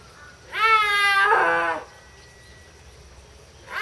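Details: Snow leopard in captivity at Tama Zoological Park, Japan, October 2012: a single sustained, harmonic wailing cry lasting over a second, wavering slightly in pitch before breaking off, followed by quiet.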